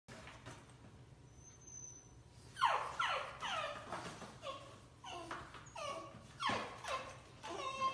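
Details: Dog giving a run of short, yelping barks that slide downward in pitch, irregularly spaced and starting after a quiet opening, with a faint high whistle-like tone early on, indoors.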